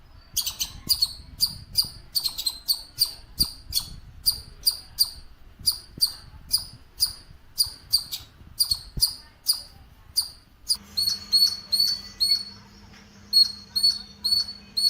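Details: A squirrel in a green house garden gives sharp, high chirps in a steady, rapid series.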